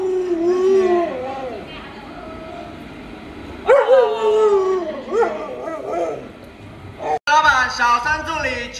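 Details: Luoluo, a pet Alaskan Malamute that cares for a little child at home, makes a run of wavering, talkative howls and yowls. The pitch bends up and down, broken by short pauses, in a small room.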